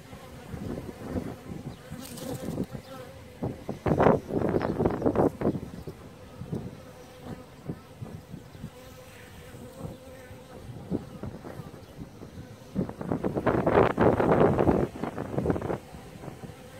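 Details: Maltese honey bee (Apis mellifera ruttneri), an endemic subspecies of Malta, kept by beekeepers: a low, steady hum with repeated louder swells of buzzing as bees pass close, the loudest bursts near the start and toward the end.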